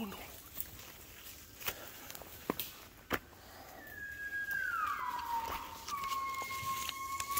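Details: Waking gibbons in the jungle of Cat Tien, Vietnam, on 16 January 2023 at 5 a.m.: after scattered clicks, a long, pure whistle glides down, then settles into a steady held tone, joined by a higher second whistle.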